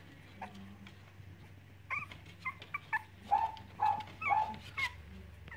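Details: Cavalier King Charles Spaniel puppies at play, letting out short, high, squeaky whimpers and yips in quick bursts, about a dozen, louder and closer together in the second half, over a low steady hum.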